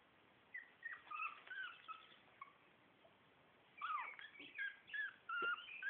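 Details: Four-week-old Shih Tzu puppies from litter A give high, thin whimpers and squeaks, short wavering tonal cries in bursts, a quieter run early and a louder cluster near the end, over a faint steady hiss.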